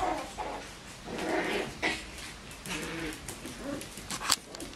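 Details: Young Bichon Frisé puppies (O and P litters, Vejles Lille Kennel) whimper in short, thin bursts. Several brief, strained yelps are broken by scuffling and rustling, and a sharp click comes near the end.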